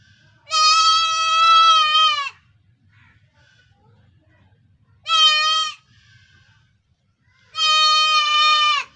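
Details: Baby goat giving three loud, nasal bleats, each one to nearly two seconds long with a slight wavering quiver, separated by pauses of a few seconds; faint low rumble in the background.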